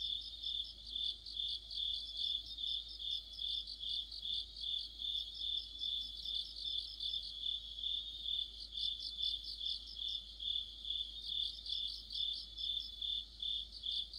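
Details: Crickets and companion insects in an autumn night chorus near a street lamp, a sustained shrill tone with pulsed chirps around twice per second, trilling bursts rising and fading in waves across the recording.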